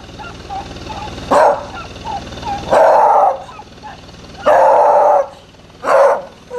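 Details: Beagle giving a few slower barks, some drawn out into longer howling tones, separated by quieter gaps with faint whines between them.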